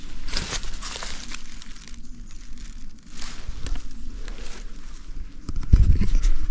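Crunching footsteps and rustling outdoors, with low rumbling and no animal calls.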